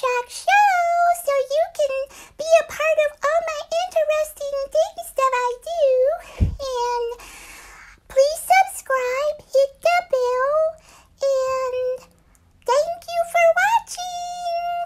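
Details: Schuggar, a Shih Tzu, "sings" an Italian aria indoors: a series of wavering, tonal howls, some held and some broken into short yodeling notes, with brief pauses and a sharp thump midway through a small room.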